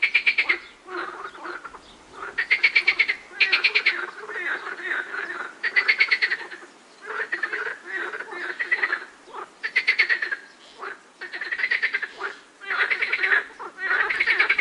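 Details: Several frogs calling with birds in the background, their pulsed, rattling croaks overlapping into a near-continuous chorus of bursts that swell and fade every second or so, with only brief lulls.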